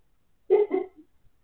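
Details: Siberian Husky barking in its sleep: two soft, muffled woofs in quick succession, each lasting about a quarter second, low and throaty, followed by silence.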